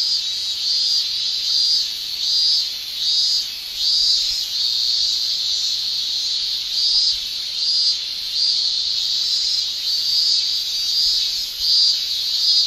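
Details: Japanese summer cicadas, males singing with their tymbals: a high, shrill, steady buzz overlaid with brighter pulses roughly every second, giving a throbbing, rhythmic shimmer throughout.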